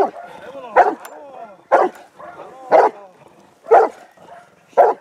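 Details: Hovawart during protection training on 26 January 2014, drilled to bark at the helper in a search area and obey during defence work; loud, deep barks come singly about once a second, with a man's voice faintly between them.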